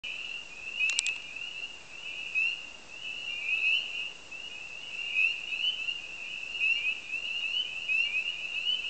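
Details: A dense chorus of spring peepers (Pseudacris crucifer) at a marsh on the edge of Lake Lily, Copper Harbor, with high piercing peeps overlapping into continuous shrill ringing. The chorus hushed within seconds after a bird's alarm call.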